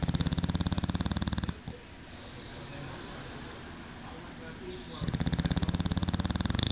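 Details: English Bulldog asleep and snoring like a small diesel engine, heard as a deep, fast-pulsing rattle that fades into a quiet breathy pause before the rumbling snore resumes.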